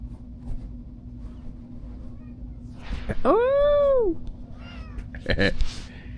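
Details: Pet cat playing under a chair indoors gives one loud, drawn-out meow that rises and then falls. A woman talks and laughs nearby, and there are soft knocks.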